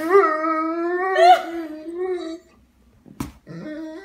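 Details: A tired Dobermann, seemingly ready for bed, lets out a long, level, mournful howl that slowly dips and fades over two seconds, then a brief sharp click and a shorter second howl in a small room.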